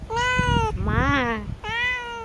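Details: Cat giving three clear meows in a row, the first and last steady and level, the middle one arching up then sliding down, with faint low background noise.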